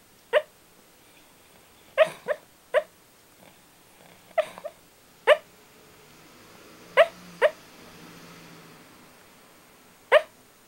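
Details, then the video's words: Shiba Inu dog asleep and sounding angry in its sleep: short muffled bark-like yips, single or in quick pairs, about nine over ten seconds at irregular gaps, in a quiet room. "Shibainu Somniloquy"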